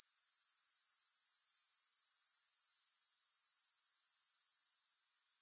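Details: Grasshoppers produce a high, fast pulsing trill, about four pulses a second audible as a beating texture, which cuts off abruptly near the end.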